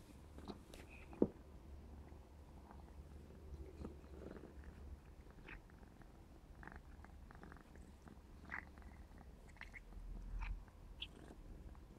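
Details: Purring from Clarence, a black smoke Maine Coon kitten 4½ months old, at play; an even low drone runs throughout, broken by scattered clicks, taps and one sharp knock near the start.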